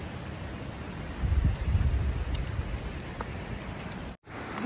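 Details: Low rumbling wind noise and rustling outdoors, with no animal voices. A brief dropout occurs near the end.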